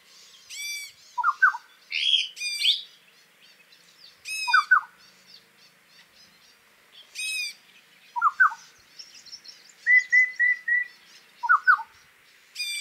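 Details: Himalayan barking deer calling in a territorial fight that ended with the loser fleeing: sharp, bright, arching barks at irregular intervals, alternating with softer, lower double notes and a brief steady whistled series near the end.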